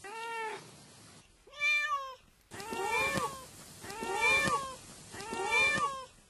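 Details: A domestic cat gives a series of meows: two separate clear meows, then three longer rising-and-falling meows roughly every second and a half, over a faint hiss.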